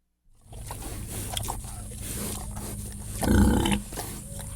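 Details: Several pigs grunt in a sty, low and rough, with one louder, harsher grunt near the end.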